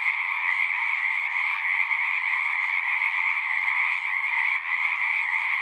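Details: Many frogs singing together at a horse-pasture pond, recorded with a Zoom recorder: a steady, shimmering trill chorus that barely dips, with a brief softening near the end.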